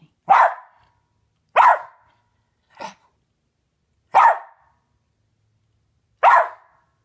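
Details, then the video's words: Sharp single barks from Wolfie, a West Highland White Terrier on fly patrol, guarding his owner against a fly; five abrupt barks spaced one to two seconds apart, the third quieter, with silence between. "West Highland Terrier Guards Me from a Fly"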